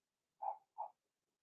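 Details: Blenheim Cavalier King Charles Spaniel puppies from a six-pup litter in an indoor home puppy pen during potty training; two short, mid-pitched yips in quick succession, each a fraction of a second, then quiet.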